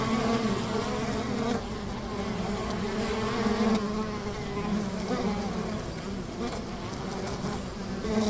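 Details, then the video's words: Steady drone of a honey bee hive near a river, overlapping buzzes forming a warm hum with wavering tones and a few soft dips and surges in volume. "Calming Honey Bee ASMR - 150 Hz Buzzing Bee Hive by the River"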